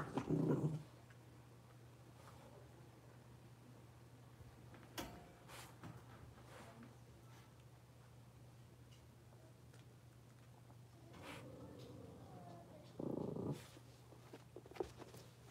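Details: Blenheim Cavalier King Charles Spaniel puppies, a litter of five born at New Year's, indoors in a puppy pen. Short, harsh yelping bursts open the recording and return near the end. Between them it is quiet apart from a steady low hum and scattered bumps.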